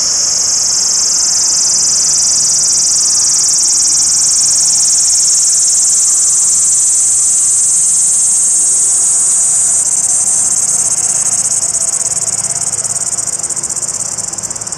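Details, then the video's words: A male cicada, singing to attract females, gives a loud, steady, high-pitched buzzing drone without a break. "Cicada calls Comp"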